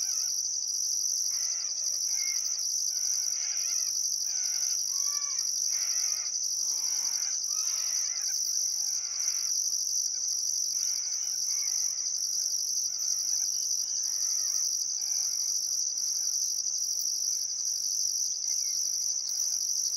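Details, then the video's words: Australian crickets at sunset on a still summer afternoon, Barcoo River, Welford National Park, Queensland outback: an unbroken shrill ringing drone with regular pulses above, layered with frequent busy birdcalls, warbles and short whistles. "Australian Sunset Chirping Crickets"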